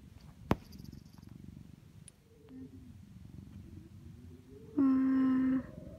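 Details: Indoor orange tabby cat snuggled up with its owner on a cold, windy winter day, purring as it gets butt pats. Phone recording of a low, even, pulsing purr, then a woman's voice briefly speaks over it near the end.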